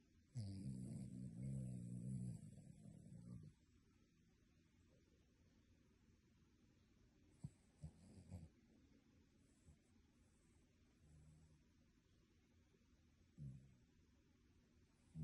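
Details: A sleeping dog snoring like a human, opening with a long, loud, low rasping snore, followed by quiet slow breathing broken by a few brief snorts and snuffles.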